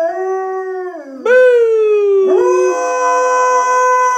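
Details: Morning howl from a hungry female pet dog wanting food: a howl dropping in pitch, a sharp jump up into a new long falling note, then another rise into a steady held tone.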